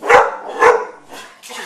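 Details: Pet dog barking at home: two loud, short, harsh barks about half a second apart, followed by fainter rustling and quiet background noise indoors.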